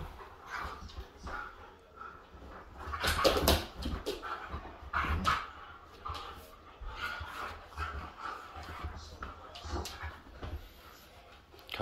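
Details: Siberian Huskies play fighting indoors, including Otis, on a couch set up like a wrestling ring; rough grumbling growls and soft whimpers come in bursts with thumps and scuffling, loudest around the middle.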